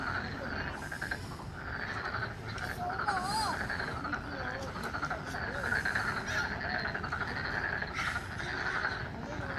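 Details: A dense spring chorus of Korean frogs in a park in Bupyeong, many voices overlapping in steady, rapid pulsed croaking.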